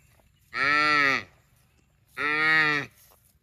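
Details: Cow mooing twice, each moo a steady harmonic call under a second long, separated by a short quiet pause.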